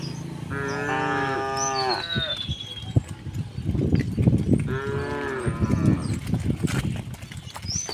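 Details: Herd of cows returning home through village streets on a bright morning; two long, deep, droning moos with rich harmonics, each lasting over a second, a few seconds apart, over shuffling hoof and movement noise with high bird whistles.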